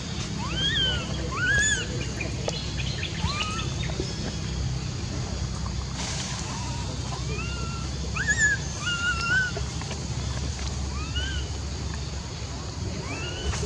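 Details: Scattered rising-and-falling tonal calls from monkeys, spaced at irregular intervals of one to two seconds, heard over a persistent low droning background noise.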